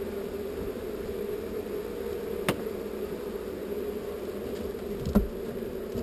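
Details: Continuous droning of a relocated honey bee swarm, a thick low-pitched hum without pause, broken only by two brief sharp clicks near the middle and end.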